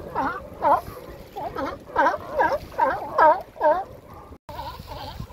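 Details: Male sea lions in April or May, establishing mating territories along the Coast Guard pier in Monterey Bay; hoarse, harmonic barks repeated about twice a second in irregular bursts, with a brief pause near the end.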